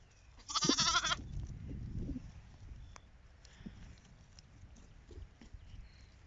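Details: Sheep on a farm, a 1-year-old ewe meeting her 10-day-old lamb half-sisters as they chase her; one short, high, harmonic bleat near the start, then rustling and scuffling over low background rumble.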